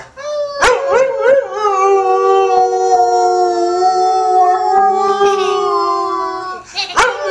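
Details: Ben the dog howls along with a woman singing in a duet; a few short yipping rises open into one long, steady, harmonic howl held for about five seconds, ending with a sharp bark-like burst.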